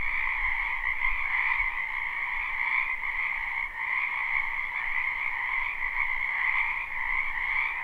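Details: Many frogs croaking in a spring wetland behind a house, recorded live without looping: a dense, unbroken chorus of trilling calls forming two steady bands, one mid and one higher, with slight swells in loudness and no other clear sounds.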